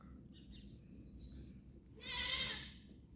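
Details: Goats in Tharparkar, recorded 29 January 2025. One short, nasal bleat with a bright harmonic stack rises near the end. Softer faint calls come before it, over a steady low rumble.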